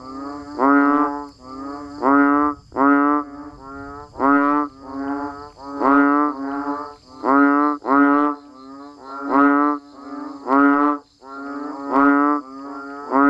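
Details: Frogs, including banded bullfrogs, calling when it rains in a natural setting: rhythmic, low, groaning honks roughly once a second, several animals overlapping in a steady chorus, with a faint continuous high hum in the background.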